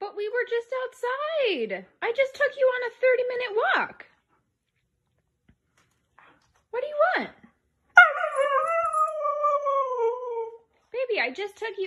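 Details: Husky Mika, back from a 30-minute walk, trades vocalizations with a woman: bursts of wavering, yodel-like whines and short howls, several dipping sharply in pitch, then a long, slowly falling howl, with speech between.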